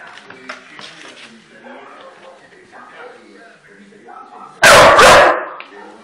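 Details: Pet pit bull lets out one loud, sharp bark about two-thirds of the way through, preceded by low indistinct human talk and room murmur.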